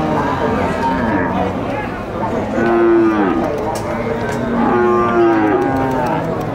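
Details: Two loud, sliding moos from cattle at the Tiangue livestock market of Nueva Guadalupe, El Salvador, spaced about two seconds apart, each falling off at the end, over busy market murmur and clatter.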